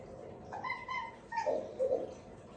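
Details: Domestic cats playing with each other indoors; two or three short, quiet meow-like calls with harmonic, slightly rising then falling tones, followed by a softer low chirp, over faint background hiss.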